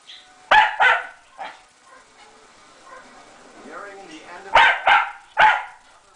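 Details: While Moe and Porter play on a Sunday morning, a few sharp barks ring out, then a quiet, wavering whine, followed by a final burst of three loud barks in quick succession.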